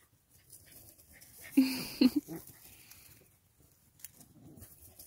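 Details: Miniature Australian Shepherds at play: a short, tonal, whiny vocal burst of three quick pulses in the middle, with soft breathy sounds around it in a quiet indoor setting.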